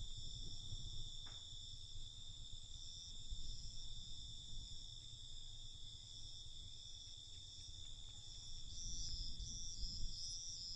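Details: Crickets at night, a steady, high-pitched ringing trill in several layered tones that runs without a break, over a low rumbling background and a brief soft knock near the start.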